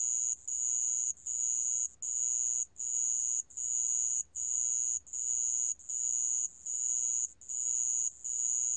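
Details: Sand ground cricket singing, recorded in 2020 for the National Institute of Biological Resources: continuous shrill trills broken by short pauses, bursts of under a second repeating fairly regularly, with only a faint low rumble beneath.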